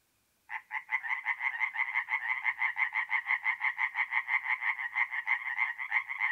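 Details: Night-time tree frog song from a forest pond in north-east Italy, mid-April: after brief silence a loud, close caller bursts into fast, regular harsh quacking pulses, roughly three per second, continuing steadily.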